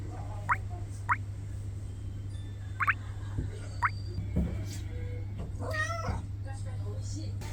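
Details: Norwegian Forest cat begging, giving one wavering, strongly harmonic meow about two-thirds of the way through, after several short rising chirps spaced a second or more apart, over a constant low hum and faint background tones.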